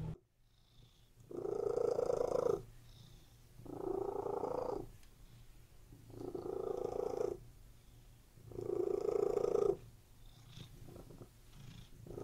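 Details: Close, clear purring of a relaxed cat lying on a bed: four strong rumbling bursts of about one to two seconds each, alternating with softer breathing phases, in a quiet setting.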